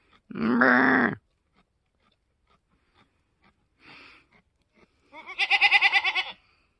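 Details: Newborn mini Alpine buckling, an F4 kid born on a homestead on March 13, 2021: a strong low cry first, a soft sound midway, then a pulsing, quavering bleat in rapid beats at the end, indoors-sounding.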